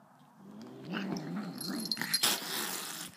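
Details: Luna, an angry dog, holds a steady low, throaty growl throughout, with a wheezy edge; a sharp broadband rustle or scrape breaks in near the middle.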